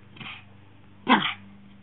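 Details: Shih Tzu at play with a pink dog pillow, letting out a soft yip followed by one louder, sharp bark, with a faint low hum behind.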